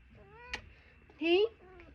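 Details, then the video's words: Talkative house cat indoors giving a soft falling meow, then a louder rising meow that sweeps upward, and a quiet trailing call, in a quiet room. "Mommy’s little chatter box"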